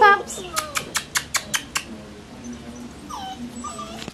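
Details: Six-week-old Collie puppies indoors: a rapid run of seven sharp yips about a fifth of a second apart, then a pause and a couple of soft falling whines.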